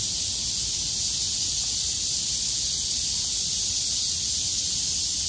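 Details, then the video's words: Cicadas singing together on 6 August 2020 after heavy rain stopped and the sky cleared, calling at full strength: a dense, steady, high-pitched hiss filling the upper range without a break, faint low rumble beneath. "매미들의 합창"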